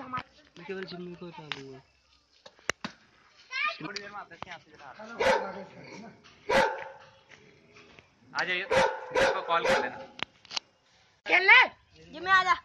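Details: A Himalayan Gaddi Bhotia dog, a livestock guardian breed said to be dangerous and to have injured people, gives harsh, aggressive barks in short bursts while in a fighting mood, with people talking throughout.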